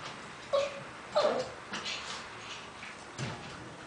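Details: Shih Tzu named Pimpo watching TV in the living room; two short, high, thin whimpers near the start, then softer faint whines, with television voices murmuring in the background.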